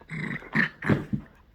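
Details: A poodle indoors grumbles while repeatedly asked for its paw: four short, throaty, growly bursts, each under a quarter second, the middle two loudest, in a small quiet room.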